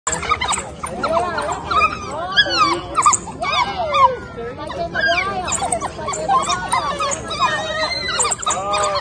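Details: Four zoo African wild dogs feeding on a carcass chatter in a busy chorus of high, bird-like twitters and squeals, with human voices nearby.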